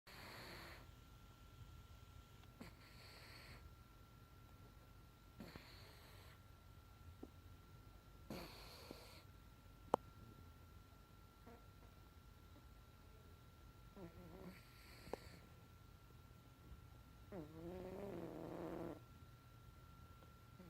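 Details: Bombay cat named Lucky snoring during a nap indoors; soft, breathy rasping bursts recur every two to three seconds, one ending in a throaty snort, over a faint steady electrical hum.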